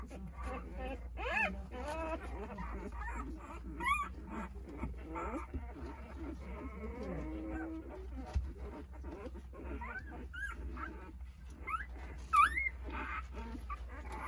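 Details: Jindo puppy litter of nine at eight days old seeking their mother during her snack; scattered thin whines with occasional sharp rising squeals, quieter murmuring and a steady low hum between.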